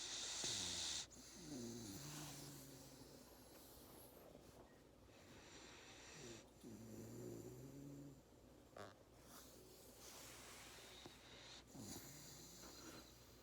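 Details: A Labrador Retriever puppy napping after a hard day of play snores in low, rumbling bursts that rise and fall with each breath.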